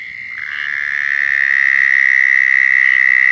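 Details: Close, loud mating call of a southern toad in Florida: a high trill swells in volume over the first two seconds, then holds steady and buzzing at one pitch.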